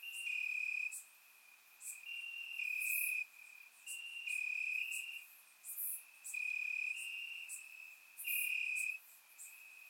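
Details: Warm summer night in Bulgaria with crickets calling from the grass: continuous high-pitched chirping in a steady band, louder pulsed bursts arriving roughly once a second in an alternating rhythm, recorded through a surround microphone.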